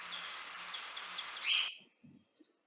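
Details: Bat echolocation recorded inside a wind turbine tower and slowed 16 times: a series of short, high chirps ending in a louder, denser burst as the bat captures prey.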